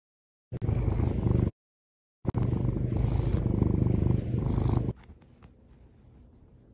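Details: Morning purring from a house cat rousing its owner: two close bursts of low, fast, vibrating rumble separated by a short silence, then the sound drops away to faint room quiet.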